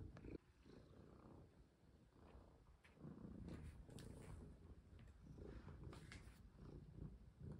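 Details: Cat being played with and fitted with a necklace, purring; a low, grainy rumble runs through the clip amid scratchy handling sounds and light clicks.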